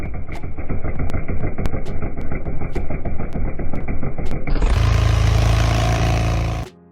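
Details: Rhythmic music with regular knocks, giving way to a loud engine roar that cuts off abruptly; no animal sound.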